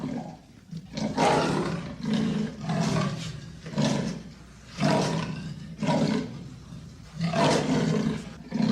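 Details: Amur leopard giving a steady series of coarse, sawing roars, each harsh breathy burst lasting under a second and repeating roughly once per second, deep and throaty with a raspy top.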